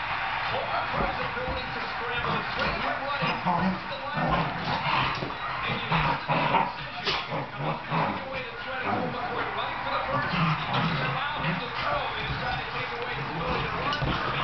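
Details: Henry, an 8-month-old Soft Coated Wheaten Terrier, playing with Taffy on and off the couch; short broadband yips and barks come in bursts through the scuffling, with people talking over much of it.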